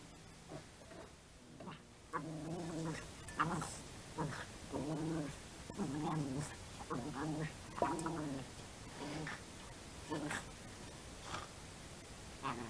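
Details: Border Terrier dog, small and active breed, heard in a run of drawn-out, wavering whines and yowls, each lasting about half a second and repeating roughly every second, over a steady background hiss.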